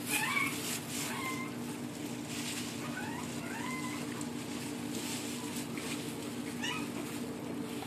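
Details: French Bulldog puppies whine in a series of high, tonal squeals that bend up and down, repeated every second or so, over a constant low mechanical hum with occasional soft rustling.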